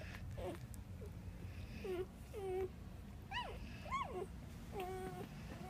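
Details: A litter of ten Boxer, American Bulldog and Labrador puppies whines and whimpers repeatedly, high arching squeals that swoop up then drop, about one every second, close up in a small indoor space.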